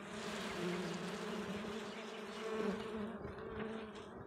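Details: Native desi honey bees at their comb in the Balochistan mountains: a dense, continuous buzzing hum with a steady low droning tone and a fainter higher overtone, swelling slightly in loudness midway, with no other clear sounds.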